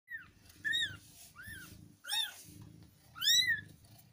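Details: Newborn kittens from a litter of five born to an adopted street cat in India mewing: three high, thin arched cries rising and falling, spaced about a second apart, with faint low rumbling underneath.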